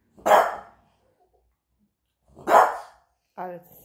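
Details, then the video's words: French bulldog, a pet presented as a talking dog, giving two short sharp barks about two seconds apart, followed by a brief harmonic vocal sound that may be a person's voice. "talking dogy -PrincessDiamond- gadajacy pies ;) french buldog"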